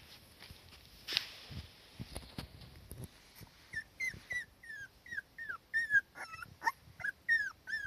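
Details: Cardigan Welsh Corgi daughter beside her mother in warm sunshine, uneasy when the mother is not close, giving thin, high whines. Short falling whimpers repeat about twice a second, getting steadily louder over the last four seconds, with faint rustling before.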